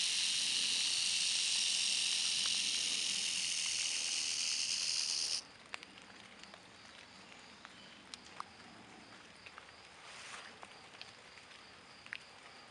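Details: Timber rattlesnake at Berkley Springs producing a loud, harsh, continuous buzz for about five seconds that cuts off abruptly. Quiet outdoor background follows, with scattered faint ticks and clicks.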